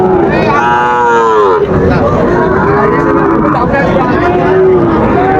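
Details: Lowing from Sahiwal bull calves for sale at Raniganj market, Dinajpur, 9 September 2024: a strong, bending moo early on, then softer lows, set against steady human talk of a busy cattle market.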